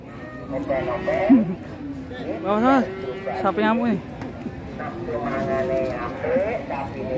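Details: A fierce, raging fat cow in Indonesia gives several harsh, wavering moos that rise and fall, some coming in quick pairs, over background music and voices.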